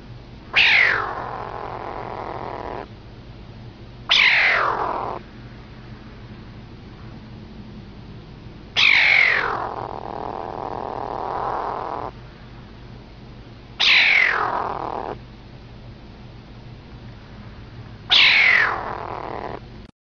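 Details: A little cat making strange noises: five loud, high calls that sweep sharply downward, each followed by a drawn-out lower tail, spaced roughly four to five seconds apart over a steady low hum.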